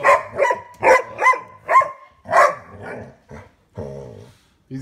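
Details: A male dog barks at his bone in a rapid, uneven series of about six sharp barks. Quieter, lower, drawn-out sounds follow, then a short final bark.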